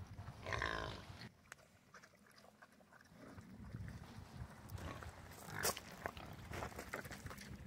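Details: Domestic pigs on a farm grunt low and rough, with a sharp harmonic squeal near the start and another later.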